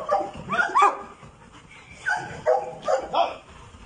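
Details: Labrador Retriever in Pakistan giving a run of short, harmonic yelping barks, two close together at the start, then three more in quick succession after a pause, over a low background hiss.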